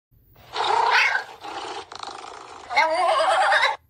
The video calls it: meerkat sound